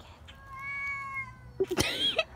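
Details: Domestic cats talking to each other: one long, steady, tonal meow held for about a second, then a sudden louder burst of harsher, broken cries with short chirping notes at the end.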